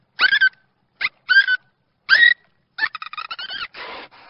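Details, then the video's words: Dolphin voice: loud, sweeping whistles that rise then drop, given in separate bursts. They are followed by a rapid stuttering series of pulsed squeaks and a final hoarse, buzzy burst. "Yunus Sesi - Dolphin voice - Voice of Dolphin"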